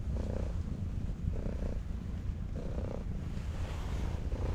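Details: Stray cat at a breakwater, purring happily while being stroked: a low, soft rumbling purr swelling in phases roughly every 1.2 seconds over steady low wind or sea noise.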